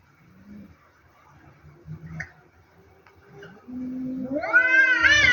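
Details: Two cats in a fight: quiet low murmurs and a steady low moan, then near the end a loud rising wailing yowl that climbs sharply and breaks into a strained cry.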